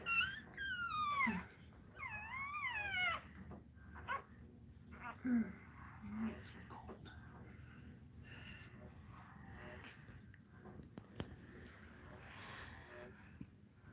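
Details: Cane Corso crying indoors while another dog, Cashmere, is in labour: high, thin whines that slide down and wave up and down in two bursts over the first three seconds, then quieter whimpers among human speech and room noise.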